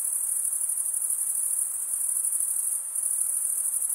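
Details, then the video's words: Crickets stridulating, the chirping made mainly by males with their wings, form a steady high-pitched shimmering trill, dipping briefly near the middle before resuming at the same level. "Most relaxing cricket sound for 8 hours"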